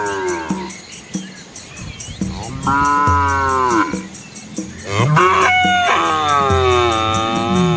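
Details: Asian village cows and calves walking along a quiet rural road past green rice fields; several overlapping harmonic moos, some higher and some deeper, rising and falling over a few seconds, over a steady low hum.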